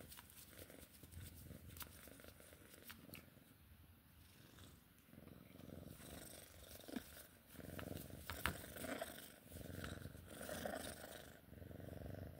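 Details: Purring Sphynx cat during play, a soft continuous low rumble with rapid pulses, broken by a few sharp clicks and brushing sounds toward the end.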